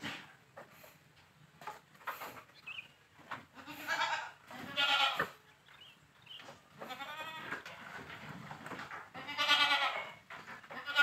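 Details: Large Boer goat crossbreeding with a young goat on a village farm; several quavering, nasal bleats with rich harmonics come in bursts a few seconds apart, between quieter rustling and faint farmyard noises.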